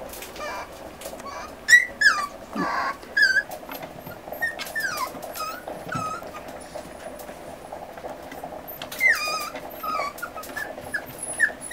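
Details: Eight 40-day-old Miniature Schnauzer puppies, being weaned by their mother, who is 1 year 10 months old, whine in high, wavering squeals while she gives a brief, gruff scolding.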